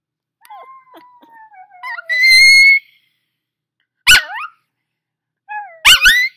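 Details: Just-woken puppy howling along with its owner's singing beside a fireplace: a thin, high, slowly falling whine, then a loud squeaky rising cry, followed by two short sharp yelping bursts.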